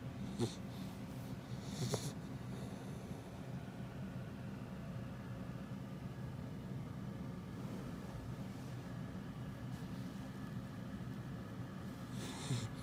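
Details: Happy, a female Labrador Retriever puppy almost five months old, snores like an old man: a low, steady rumbling of breaths fills the recording, with a few brief faint clicks near the start and end.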